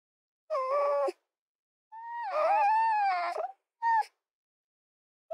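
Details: Wavering, nasal harmonic whines from a fox, including one long call of over a second that wobbles in pitch and overlaps a second voice, followed by a brief rising note; silent background.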